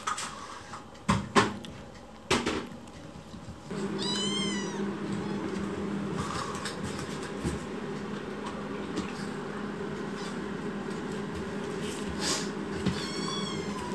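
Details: Rescued foster kitten with a broad forehead, angrily protesting: two high harmonic meows, one near the middle and one near the end, among knocks and thumps early on and a steady low indoor hum.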